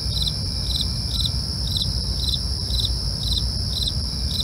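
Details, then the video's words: Short stretch of nighttime cricket chirping: bright pulses repeating about every half second against steady high trilling and low background rumble. "night crickets asmr"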